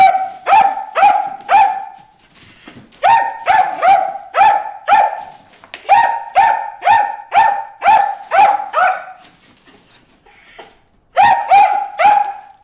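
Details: Bruce the dog barking at fish in a water hole: bursts of sharp, high barks, about two per second, in runs of three to eight separated by short pauses.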